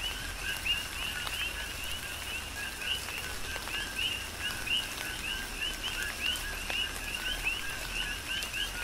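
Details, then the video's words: Chorus of coqui frogs calling during a tropical rain shower on the Big Island of Hawaii: overlapping two-note 'co-qui' calls, a lower note jumping to a higher chirp, repeated many times a second over steady rain patter and drips. "Tropical Rain & Coqui"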